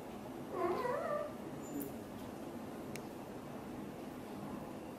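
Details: Mother British Shorthair cat with a blue golden coat talks to her kittens: one short, wavering, rising-then-falling meow-like chirp early on, followed by a quiet room hiss and a faint click.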